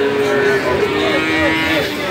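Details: Calf mooing amid the bustle of a cattle market in Magetan, East Java, Indonesia, February 2019: steady, nasal, tonal lowing running through the clip, with murmuring voices and general market noise behind.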